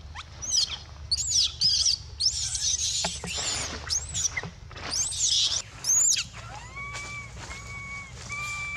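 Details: Hungry baby monkey Dito cries with shrill, wavering screams in quick succession, then shifts to three softer, steady, drawn-out whistled cries near the end; low-pitched hum in the background.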